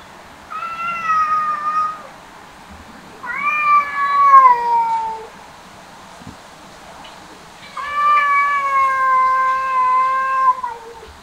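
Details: Cat eating grass, uttering three long drawn-out meows, each one to three seconds and gently falling in pitch at the end, separated by short quiet pauses over a low hushed background.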